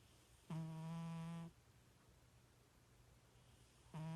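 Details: A sleeping pet cat, said to snore like a little pig, gives one steady, droning snore lasting about a second. After a long quiet pause, the next snore begins just as the recording ends. A faint low hum sits underneath.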